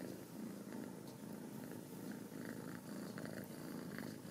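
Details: A close purr from home-raised Ragdoll kittens in a central Kansas cattery: a continuous low buzzing rumble that swells and eases with each breath, with soft rustles.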